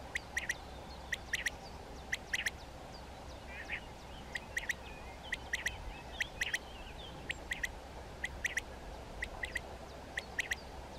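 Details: Calls from a colony of European ground squirrels (Spermophilus citellus), day-active animals that signal to each other vocally: a steady series of brief, shrill chirps, often doubled, repeated about once a second over a constant low hum.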